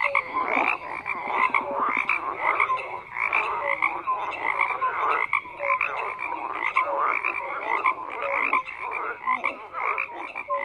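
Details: Many frogs croak at once in a thick, unbroken chorus: rapid rattling pulses layered under brief tonal chirps that recur every second or so, with no other sounds standing out.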